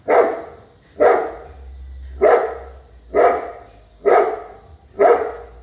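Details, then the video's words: Steady barking from a big dog: six deep, rough barks at roughly one-second intervals, each short and forceful, over a faint low hum. "sound of big dog"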